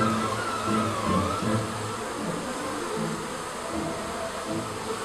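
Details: Garden hive of honey bees coming out to fly, giving a continuous low humming drone. Several buzzing tones wobble in pitch as bees pass nearby, louder in the first two seconds, then settling into an even hum.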